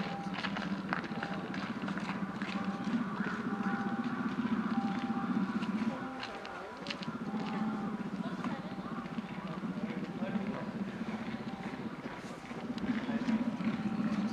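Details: Aila, a captive female polar bear cub of 11 months at Maruyama Zoo, Hokkaido, Japan, begs her mother Lala, 17, for milk on 15 December 2011, her calls growing louder: a low, rapidly pulsing buzzy hum, pausing briefly midway, with visitors' voices behind.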